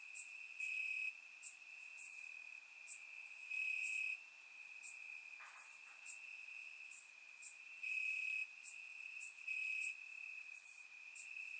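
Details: Summer-night crickets chirping in grass in Bulgaria, a bright continuous trill with pulsing louder passages, overlaid by brief high clicking bursts from neighbouring insects; surround-microphone recording.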